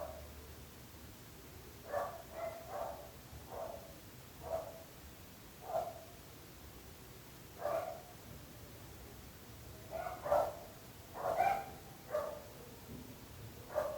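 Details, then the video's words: Domestic dog barking persistently, in a long session of barking that troubles the neighbours: some fifteen short, sharp barks over fourteen seconds, irregular, sometimes in quick pairs and triplets, against a quiet background hiss. "26 minuts gossos lladrant / 26 minutes barking dogs."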